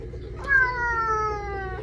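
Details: Domestic cat from a funny cat compilation uttering one long, steady meow that sags gently in pitch over more than a second, in a quiet indoor setting.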